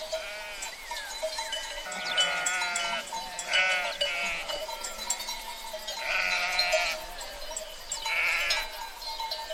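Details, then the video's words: Herd of sheep: several wavering, nasal bleats rise and fall in bursts around two, four, six and eight seconds, over a constant tinkling of bells and soft background rustle. "Free Sheep Herd Sound Effect"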